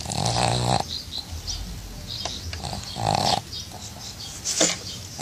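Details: A female pug relaxing in her small bathtub gives two throaty, rattling snorts about three seconds apart. Faint rustling and light background noise fill the gaps.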